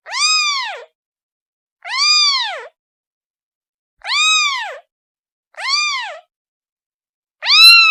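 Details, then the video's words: Kitten calling for its mother: high, arched meows with rich harmonics, rising then falling, five calls spaced about every one and a half seconds against a silent background. "The sound of a kitten calling its mother"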